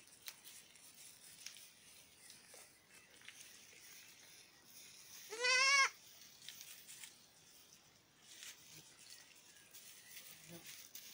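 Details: Playful miniature goat kids at dusk: one short, wavering, nasal bleat in the middle, surrounded by quiet rustling and faint outdoor background noise.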